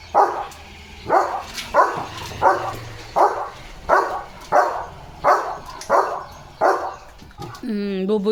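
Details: German Shepherd named Leo, a pet, dashing about at play: about ten short, rough, evenly spaced bursts roughly every two-thirds of a second, then a brief high human voice at the close.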